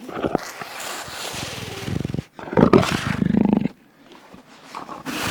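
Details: Jaguar roaring in low, rasping bursts broken by short pauses, each burst harsh and throaty, with a gap of near silence before a final rising snarl.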